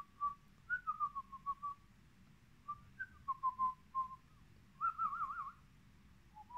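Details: Brussels Griffon puppies in a kennel giving clear, high, whistle-like whimpers: short falling squeaks in bursts, then a longer wavering, quavering whine, with a brief rising squeak at the end.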